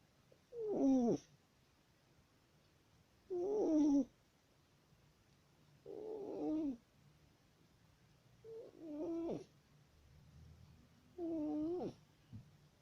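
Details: Pet tomcat asleep and snoring, recorded 10 October 2019: five rough, buzzy nasal snores, each under a second, repeated about every two and a half seconds in a steady breathing rhythm with quiet gaps.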